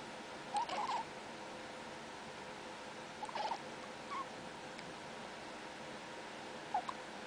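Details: Young male domestic cat chittering indoors: short bursts of quick chirping notes near 0.6–1 second, again around 3.4 and 4.2 seconds, and a brief final chirp near 6.8 seconds, set against a steady low room hiss.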